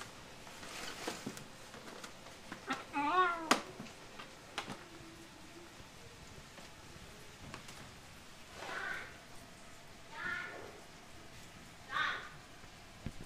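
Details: A Bengal cat excited over strawberries gives a series of short, rising meows and chirps, spaced a few seconds apart.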